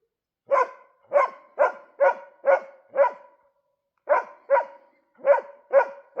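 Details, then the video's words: Dog barking at a moose in winter: loud, sharp barks in quick runs of about six, roughly two per second, with a short pause between bursts. "moose with dog barking, winter"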